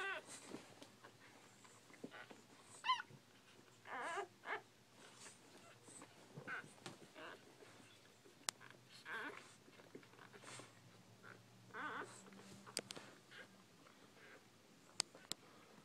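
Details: Newborn Bull Pei puppies making thin, high squeaks and soft whimpers, scattered irregularly at low volume, with occasional sharp clicks and rustling in a quiet indoor space.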